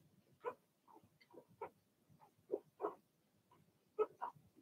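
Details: Young Cavalier King Charles Spaniel puppies, a Blenheim litter of two girls and four boys born in March, yap in a short run of muffled, uneven barks roughly once a second, with low rustling beneath.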